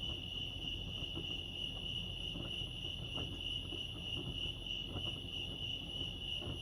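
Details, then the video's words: Cricket chorus at Lake Arrowhead, California: one constant high whining trill that stays level throughout, with muffled low background noise underneath. "Serenity sounds crickets chirping lake arrowhead"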